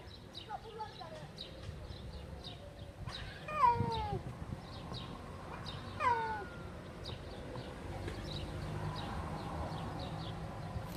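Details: Tabby street cats running up and asking for food, one of them angry: two loud, drawn-out meows falling in pitch at about 3.5 and 6 seconds, fainter short mews before them, over a low outdoor rumble.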